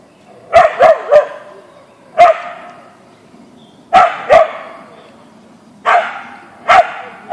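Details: Siberian Husky Boeing, an Ausky, barks at a deer in the backyard in irregular bursts: a rapid triple bark, then single and paired barks spaced one to two seconds apart, each sharp and mid-pitched.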